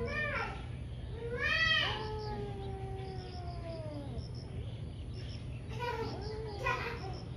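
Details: Morning fight between two ferocious cats: a loud rising screech that bends into a long falling yowl, then quieter moaning and two more short harsh cries, over low constant hum and faint insect chirping.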